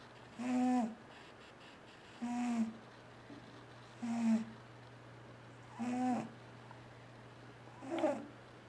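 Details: Sleeping pet cat, indoors, snoring loudly while it dreams. Five throaty, buzzy snores with clear tonal overtones come at a fairly steady pace, about one every two seconds, separated by quiet pauses over a low steady hum.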